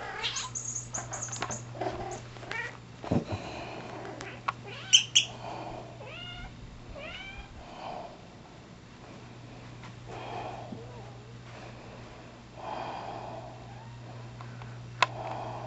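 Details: Penny, a 7-month-old rescue cat of almost pure Bombay breed, practises mothering her squeaky monkey and squeaky mouse indoors; a run of short rising-falling chirpy meows with clear overtones, scattered bursts and rustles between, a steady low hum beneath.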